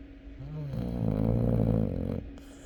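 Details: Snoring Chow Chow dog, one long drawn snore of about a second and a half that starts with a soft rising tone and swells into a deep, vibrating rumble, then cuts off over a faint hum.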